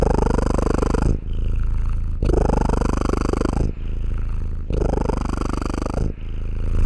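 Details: Cat (Felis catus), purr.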